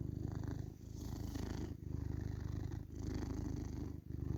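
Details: Male tabby cat purring, a deep continuous rumble that pulses with each breath, with brief pauses about once a second, heard close up.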